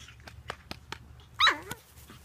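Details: Pug puppies at play: a series of short soft yips roughly every quarter second, then one louder high-pitched bark with a falling tail.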